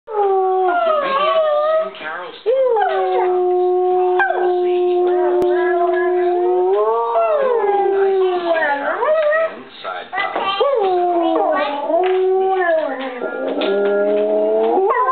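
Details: Dog howling in long, sustained tones that hold steady, then bend and waver, with drawn-out rising and falling glides and brief pauses between notes.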